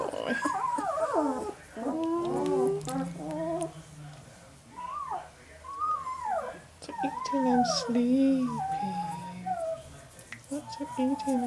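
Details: Male Northern Inuit puppies, eleven days old and indoors, whimper in a series of short falling and arching squeals, some longer wavering whines, with a faint low hum behind.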